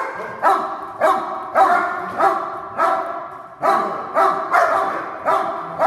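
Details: Hold-and-bark drill by two protection-trained dogs barking on command; sharp, strong barks come in an uneven run of about ten, with gaps of roughly half a second to a second.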